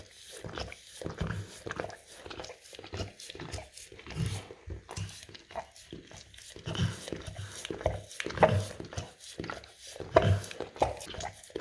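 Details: An English cream golden retriever works at peanut butter on a rough tile floor, its licks here looser and uneven, with slurps, smacks and a few louder wet clicks in a small indoor room.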